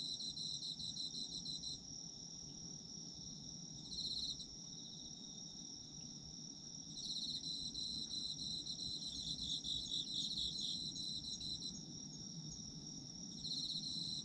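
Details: Chorus of autumn insects recorded for sleep listening, with a continuous high ringing trill beneath bursts of fast pulsed chirping that stop and restart every few seconds, set against a faint low rumble.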